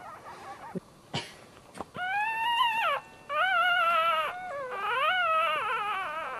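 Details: Dachshund whimpering while giving birth to a litter of puppies, during the third puppy's birth. A few faint cries come first, then three long, high, arching, whining squeals with rich overtones, each lasting about a second, with brief quiet gaps.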